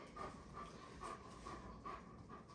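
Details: German Shepherd during training, panting steadily in rhythmic breaths roughly every 0.4 seconds over a low background hum.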